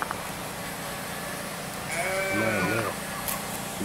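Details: Lamb at a peasant farm with emus, goat kids and other lambs, being fed fresh grass: one short wavering bleat with a trembling, quavering voice lasting under a second, over steady low background hum.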